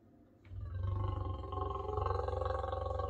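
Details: In the morning a big male lion gives a deep, steady, throbbing growl right outside a kitchen window at a camp in Southern Africa. He is guarding a lioness lying by the wall nearby, who wants nothing to do with him.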